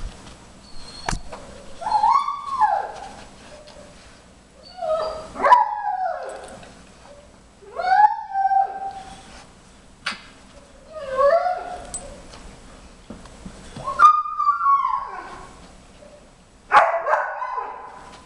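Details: A 4.5-month-old Briard puppy named Jimmer whimpers in the background, eager to join Queen, a 5-year-old German Shepherd, as she sniffs out treats hidden under tennis balls. Drawn-out, wavering whines rise and fall, repeating about every three seconds.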